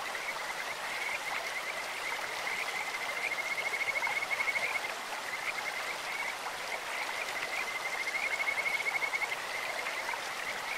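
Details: Kajika frogs calling in a clear stream: high, even trilled whistles at one pitch come in long bouts, two stronger runs around four and nine seconds, over a steady hiss of rushing water.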